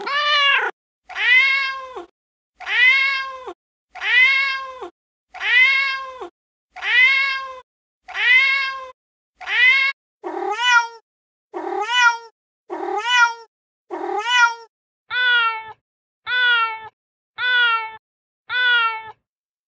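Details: Cat meowing angrily, a predator sound to keep mice and rats away: fifteen quick meows in a steady run, about one every 1.3 seconds, shifting from full arched cries to sharper, thinner ones.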